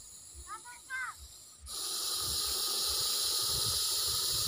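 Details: A venomous Russell's viper in a village: after brief human voices, a loud, steady, breathy hiss starts abruptly and continues unbroken to the end.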